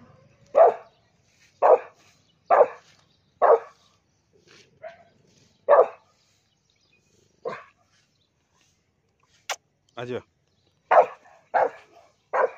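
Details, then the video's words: Rottweiler angrily barking in reaction to a cow: a series of loud, sharp barks about a second apart, a pause with softer sounds and a brief sharp click, then more quick barks. "Angry Rottweiler"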